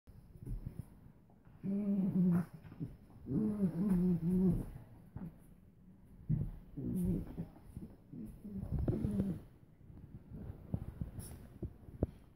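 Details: Suzy the Doberman and Chica, a Min-Pin/Terrier mix, playfighting indoors: bursts of low, rumbling growls with wavering pitch, rising and falling in three or four roughly one-second runs separated by quieter scuffling.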